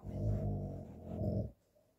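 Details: Cane Corso indoors wanting to play first thing in the morning, giving a low rumbling growl-like grumble for about one and a half seconds, swelling twice before stopping.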